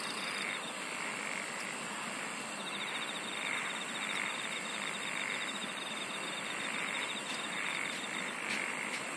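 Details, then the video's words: Insects singing in a dense, continuous natural chorus: a steady shrill hiss high overhead, with soft chirping pulses repeating mid-range and rapid ticking trills along the very top, no other clear sounds. "SINGING OF INSECTS"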